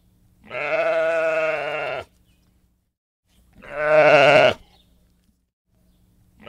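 A sheep bleats in long, wavering, nasal calls, each lasting one to two seconds.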